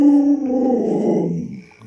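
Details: Pet Alaskan Malamute Lolo, at home with a young child, voices a loud, slightly rough, wavering howl-groan that slowly sinks and softens over nearly two seconds.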